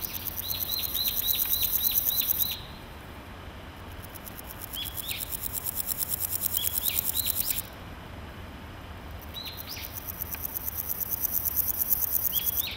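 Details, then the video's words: Male naki-inago grasshopper calling from a grassy patch, rubbing its hind legs against its wings: a dry, rapidly pulsed buzzing in bursts of about two and five seconds, with a gap between them. Short falling bird chirps repeat throughout. "ナキイナゴ 鳴く"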